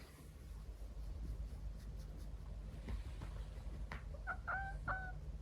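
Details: Nuchiko, a quiet, affectionate female Scottish Fold × Persian mix cat born November 2022, being patted on the bottom at bedtime; after a few seconds of low indoor hum, two or three short, clipped harmonic meows come in quick succession near the end.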